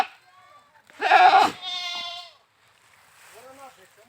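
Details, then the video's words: Goat, called bakra, bleating at a goat farm in India: a loud harsh wavering bleat lasting about a second, followed by a softer drawn-out bleat and faint quieter calls after a pause. "funny #goats sounds funny #bakra sounds"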